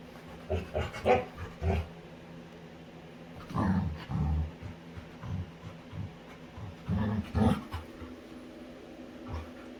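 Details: Low, throaty grumbles and grunts come in scattered bursts from a female Labrador retriever during play with her owner, with quiet pauses between them.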